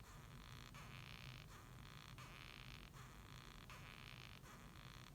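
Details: Japanese rhinoceros beetle squeaking, rendered as "gyuui gyuui gyu gyu": harsh, grating broadband bursts repeated roughly every 0.7 seconds in a steady rhythm, over a constant low electrical hum.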